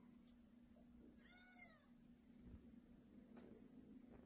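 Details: A pet cat indoors, one of two cats (a white male and a tabby female), gives a single drawn-out meow that rises then falls, with clear harmonics. A steady electrical hum runs beneath, and a person softly calls the cat's name.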